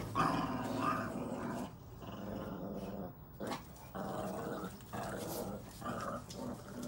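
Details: Red Boston Terrier puppies at play in a tug of war, growling like little wolves; rough throaty growls come in bursts, mixed with knocking and rustling.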